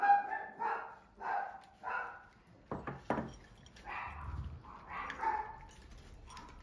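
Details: A normally gentle Munchkin father cat, enraged after another cat sniffed his rear, gives a run of harsh, moaning angry cries broken by a few sharp thumps.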